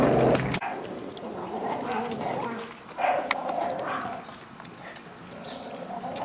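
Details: Miniature Pinscher puppies, eight and six weeks old, growling while given meat; low rough rumbling growls run in an uneven stream, with a loud knock at the start and faint background noise.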